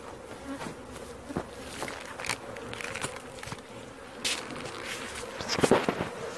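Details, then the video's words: Humming buzz of a honey bee swarm as it is collected, a steady drone mixed with repeated thumps, scrapes and clicks of equipment. "Catching Bees start to finish bee swarm"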